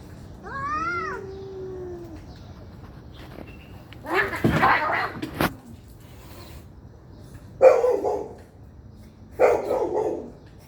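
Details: Fighting cats: one clear arching meow-like yowl opens, followed by short harsh bursts of hissing and spitting noise spaced a couple of seconds apart, with thumps between.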